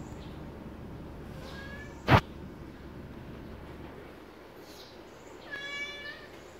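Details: Domestic cat meowing while its breakfast is made: two faint, rising-falling meows with clear harmonics, one early and one near the end, separated by a single sharp click in an otherwise quiet room.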